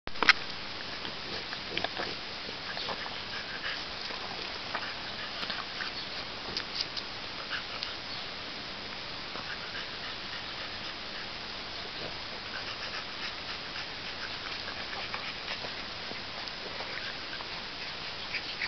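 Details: Nine-week-old French Bulldog puppies play with a friend in a close room, with steady snuffling, snorting and small grunts.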